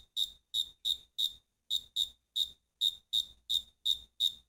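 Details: Crickets singing: loud, clean high-pitched chirps repeated roughly three times a second, each a short pulsed burst with bright overtones, separated by silence, with brief pauses between runs of chirps.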